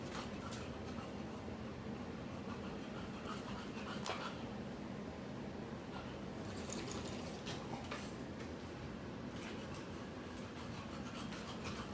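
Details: Quiet indoor rustling, scattered clicks and faint watery drips fill a small room, with no animal vocalisation heard.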